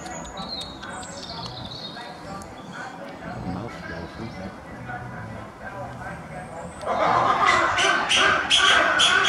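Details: A captive corsac fox (Vulpes corsac) at an animal park in the UK gives harsh, rapid chattering yelps just after feeding, on 17 February 2020, with faint background voices.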